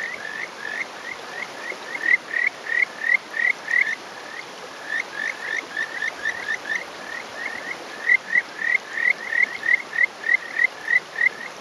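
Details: Male Kajika frog (Buergeria buergeri) calling from a rock on a May morning in rural Hofu, Yamaguchi, Japan; rapid series of short rising whistled notes, about three per second, in two long runs separated by a brief pause, over steady stream noise.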